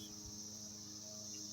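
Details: A dense 2021 cicada chorus forms an unbroken, shrill, even buzz, with faint low background hum and no other clear sounds.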